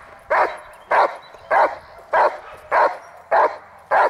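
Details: Dog in protection training, working on the hold and bark, recorded May 19, 2020: seven loud, sharp barks at a steady pace of roughly one every 0.6 seconds, with a quiet background between them.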